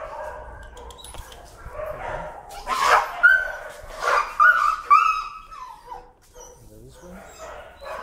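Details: A leash-shy, timid dog protests while being walked, giving shrill, wavering screams in a cluster midway, mixed with a person talking and handling noise.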